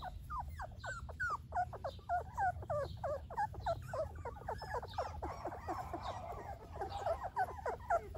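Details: Golden Retriever puppies whine in a rapid, overlapping stream of high, thin whimpers and yips, several each second, over a steady low rumbling background noise.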